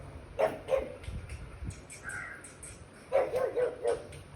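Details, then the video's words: Pug barking at televised dogs he treats as intruders in his territory; short harsh barks in a rapid, uneven series, a pause with a brief higher tonal sound, then four quick barks in a row. "Pug vs pug & other dogs"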